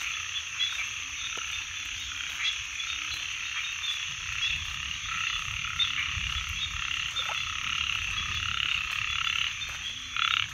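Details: Frogs calling together in a dense, continuous chorus, a steady wash of overlapping croaks and trills with no clear pause, plus a low rumble underneath and a brief louder burst near the end.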